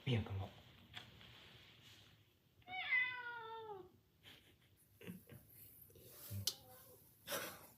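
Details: House cat attacking its owner indoors, making a single descending, wavering meow of about a second, with people talking in Vietnamese and clicks and handling noises around it.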